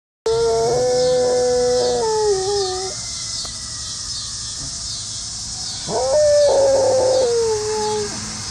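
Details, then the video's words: A Pit Bull howling: two long, drawn-out, tonal howls, each rising slightly, holding level, then sliding down, separated by a quieter pause, over a steady background hiss. "Pitbull howling"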